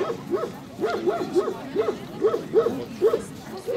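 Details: Male Central Asian Shepherd Dog named Viking, shown in the intermediate males' class at a club breed show in Kyiv (Krasylivka) on 28 September 2019: a quick run of short, arching yelping barks, about three per second, with nearby speech.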